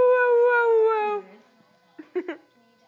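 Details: Boxer puppy giving a single sustained harmonic howl lasting about a second, tapering off, followed by brief soft voiced sounds, possibly human speech.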